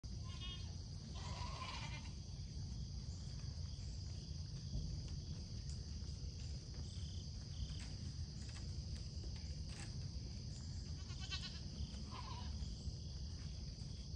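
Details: Pygmy goats on a farm in Knoxville, Tennessee, guarded by a Great Pyrenees on a foggy morning, give two short, wavering bleats over a steady, low wind rumble.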